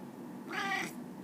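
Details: A shy domestic cat protests at its owner's coughing with one short meow, a harmonic, slightly rising then falling call of under half a second, heard over soft indoor room noise.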